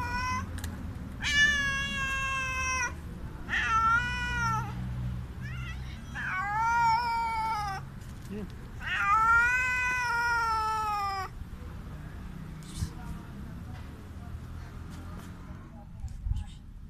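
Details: Hungry street cat meowing very loudly and repeatedly, long drawn harmonic cries with rising-then-falling pitch, several in a row over about ten seconds, low rumbling background noise underneath.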